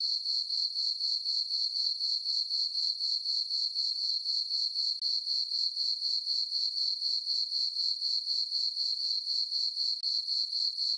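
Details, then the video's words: Meadow crickets on a farm on a full-moon summer night, producing a constant shrill pulsed trill, about four beats per second, very regular, with no other sound. "Cricket chirping sounds for sleeping"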